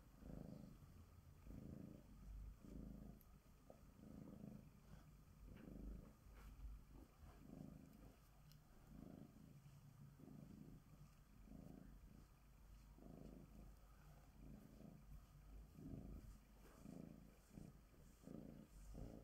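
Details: Bengal cat Sonya, a typical tabby female, purring steadily during glove grooming. The deep rumble comes in regular breaths roughly every second, about eighteen pulses over the stretch, with faint handling noises.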